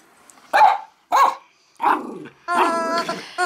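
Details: Max, a Yorkshire terrier-schnauzer mix born June 2006, during morning play indoors: four short, gruff bark-growls in quick succession, the last drawn out into a tonal, whining growl, with quiet room noise between bursts.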